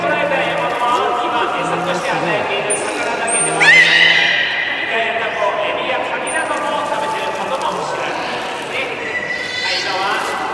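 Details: Belugas at a public training session, Port of Nagoya Public Aquarium, 24 March 2018, afternoon show; a sharp upward-sweeping whistle near the middle amid layered tonal squeaks, with people talking throughout.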